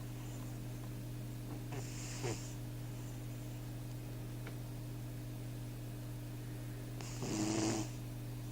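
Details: Snoring cat gives a short hoarse breath early on, then a quiet stretch, and a louder, rougher snore near the end, with a constant low hum beneath.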